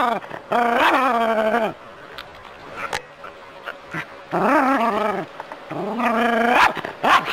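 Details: Jack Russell terrier living in the city, confronting a non-venomous rat snake, gives bursts of loud, harmonic yelping barks in strings of several, with short pauses between bursts.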